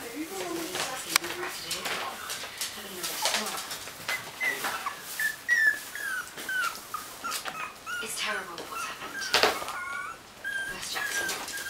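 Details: Puppies whimpering indoors, a string of thin, high whines that rise and fall, some wavering, scattered over the clip among soft rustles, clicks and human voices.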